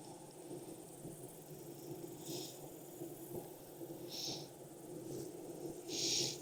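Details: Steady low drone of a thriving honey bee hive opened for inspection in Texas heat around 92F, following three weeks of rain; the continuous buzzing hum is joined by three brief soft hissing bursts.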